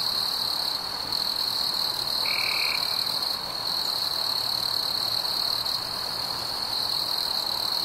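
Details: Summer-night crickets with fireflies: a continuous high-pitched ringing trill holds steady, broken by a single short, lower-pitched buzzy burst lasting roughly half a second early on.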